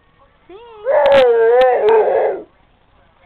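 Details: A female Rottweiler lying lazily on a couch gives a single drawn-out howl that rises, then wavers up and down before fading.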